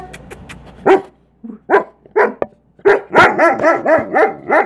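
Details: German Shepherd, excited to see its owner arrive home, gives a run of yelping, whining howls: a few scattered barks first, then a rapid string of wavering, arching cries in close succession.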